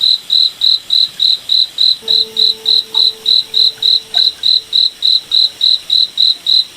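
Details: In a moonlit night forest, a cricket gives steady, high, ringing chirps, about three or four each second.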